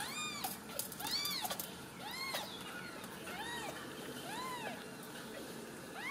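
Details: Several Ragdoll kittens from a home cattery in central Kansas give high, arched mews roughly once a second, a busy overlapping chorus of small voices over soft household noise.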